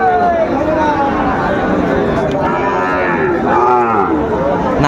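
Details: Sahiwal cattle, bull calves at a busy cattle market in Comilla, Bangladesh, on 18 October 2024: drawn-out lowing moos rise and fall over a steady din of crowd chatter.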